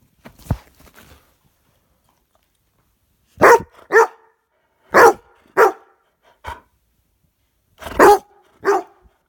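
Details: Dog barking indoors: a couple of soft low huffs at the start, then after a pause sharp barks in pairs, roughly one every half second, with gaps of about a second between pairs, six barks in all.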